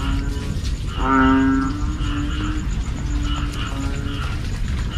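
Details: A banded bullfrog calls in the evening, a sound said to keep people awake: one strong, low, nasal moan near the start, then fainter answering drones from other frogs over constant low background noise.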